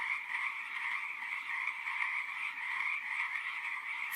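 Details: Frog calls as a dense, continuous chorus of rapid rasping trills, steady and unbroken throughout, with no other clear sounds.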